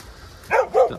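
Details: Mother dog being calmed by her rescuer and given a meal, two short mid-pitched barks about a quarter second apart, the second slightly lower, over quiet background.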